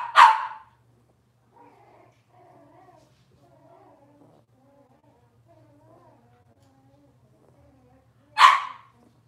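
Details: Robin's Cavalier King Charles Spaniel puppies, indoors on a Wednesday-morning livestream: two loud single barks about eight seconds apart, with faint soft whimpering sounds between them.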